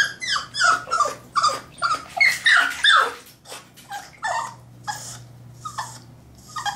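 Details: French Bulldog puppy, aged three months, battling the bath tub in a small room: rapid, agitated whimpers and squealing yelps, packed densely for three seconds and then thinning to scattered whines, over a constant low hum.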